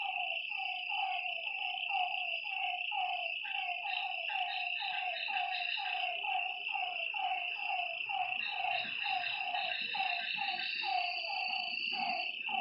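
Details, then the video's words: Frogs calling at night by a lake: short, throaty notes that dip in pitch, repeated about twice a second and overlapping in a chorus, over a constant high-pitched insect drone. "Lakeside night creatures and frog sounds"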